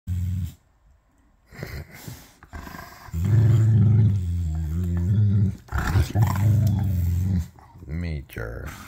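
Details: Two German Shepherds, a 6-month-old puppy and a 9-year-old, argue over a toy: deep rumbling growls in long bursts, overlapping a person talking affectionately to them, with a brief stretch of music at the start.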